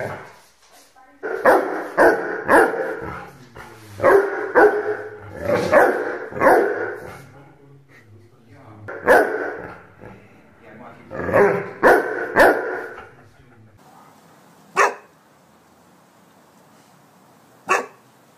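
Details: Rhodesian Ridgeback barks loudly and repeatedly when asked to, in clustered runs of deep woofs, while a person speaks Spanish; the barking thins to two lone barks near the end.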